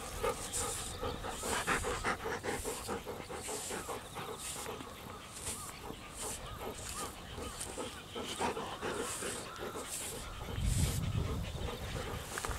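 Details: Quick, steady breathy huffs, about two and a half a second, from a Golden Retriever, Kohaku or Ibuki, as the pair are groomed with a comb beside a rice field on a warmer day; faint insect and frog calls underneath.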